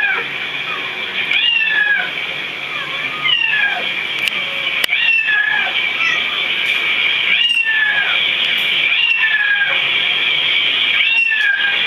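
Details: Pet cats hearing other cats meow, with many overlapping meows repeating about every second or two over a steady, high, bright background of further cat cries.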